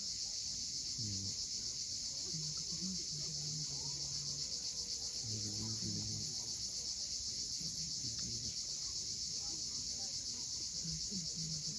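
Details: Cicadas on the steep coast of Cape Fiolent, Crimea, at sunset, their high rasping drone steady and rapidly pulsed across the whole stretch, while low humming notes come and go in the background.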